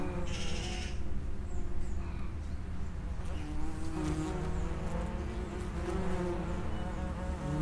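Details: Several common wasps droning at the mouth of an underground nest, overlapping low hums with shifting pitch as they come and go continuously.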